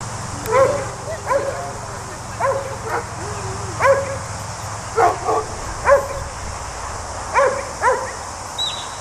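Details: Border Collie sheepdog working sheep in New Zealand, barking outdoors: sharp, harmonic barks, often in quick pairs, repeated about every second or so across the stretch, over a low background rumble.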